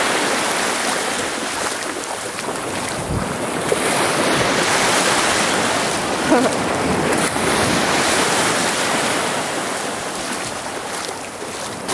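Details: Steady roar of breaking waves on a beach with heavy wind buffeting the microphone throughout; no animal voice can be picked out.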